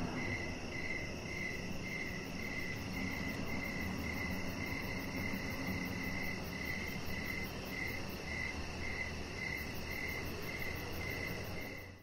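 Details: Evening crickets heard from a deck where a chihuahua puppy lies under decoration lights: clear, regular chirps about three per second, a thin high pulsed buzz beside them, and a constant low hum underneath, fading at the end.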